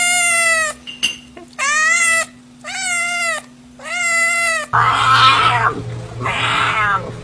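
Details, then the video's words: A domestic cat meowing: four clear, drawn-out meows, each about half a second long with a slight rise and fall, spaced roughly a second apart, followed by two fuller, more nasal calls over a low hum. "Cat voice video"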